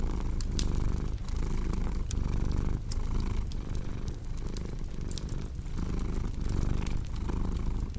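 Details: A cat's continuous low purr set against a crackling fireplace for deep sleep: throaty rumbling pulses about once a second, with bright snapping crackles of burning wood scattered over the top.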